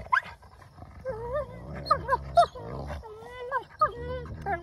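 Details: Pair of wolfdog pups fighting over something both want: steady low growling under rising and falling whines and squeals, with short sharp snarls scattered through.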